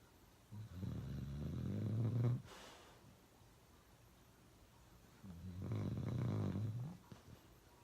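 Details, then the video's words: Loud snoring from Uno, a pet dog, indoors: two long, low, rasping snores of about two seconds each, separated by a quiet breathing gap, with a soft breathy exhale after the first. "Uno Drinking Water and Snoring really loud"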